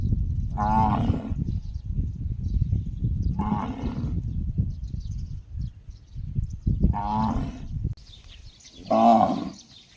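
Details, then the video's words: Unusual gong-like calling from a cow: four brief, resonant, tonal bursts, the last one loudest, separated by gaps of two to three seconds, with steady low rumble throughout. "Funny cow noise sounds just like a gong"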